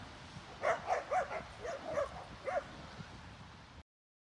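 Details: Rapid yappy barking, about two per second, from dogs playing on a snowy day at a dog park, Molly and a six-month-old Boxer puppy seeking one-on-one playtime in wet snow; the sound cuts off abruptly near the end.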